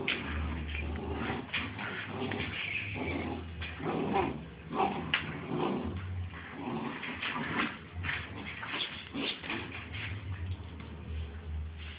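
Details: Two Bull Terrier puppies at play, giving rough growly grunts and scuffling noises in dense, uneven bursts across the whole stretch, over a steady low electrical hum.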